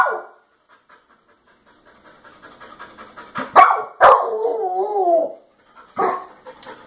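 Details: A dog crying: soft rapid panting, then two sharp yelping bursts leading into a long wavering whine lasting over a second, ending with one more short yelp.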